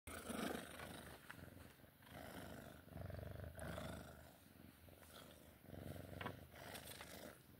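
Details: Sphynx cat purring during play time: a low, rumbling purr in rhythmic bursts lasting about a second each, with soft breaks between breaths and light rustling handling noises throughout.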